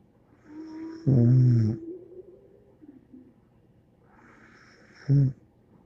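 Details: Bear the dog snoring. A long, rumbling snore with a faint whistling tone comes first, then soft breathy sounds, and finally a brief snort-like snore about four seconds later.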